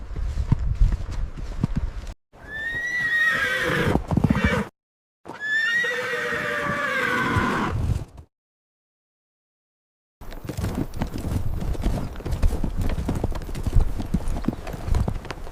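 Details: Wild horses galloping across open meadows, giving loud high whinnies that slide downward with shaking overtones, with drumming hooves between calls; the recording is cut by abrupt silent gaps, including a long pause near the middle.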